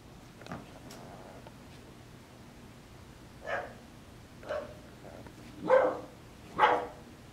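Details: English Bulldog puppy giving four short, hoarse yelps spaced about a second apart after a quiet start, the last two loudest, over a steady low background hum.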